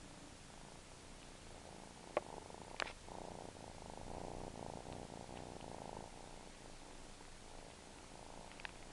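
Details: A domestic cat known for suckling purrs in a continuous pulsing rumble, swelling louder in the middle, with a few faint clicks and taps scattered through the recording.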